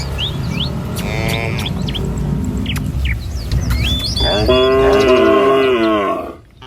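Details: Morning in a village as tame cattle file along the road toward a field to find food; bird chirps and whistles come first, then one long, loud, steady moo lasting about a second and a half.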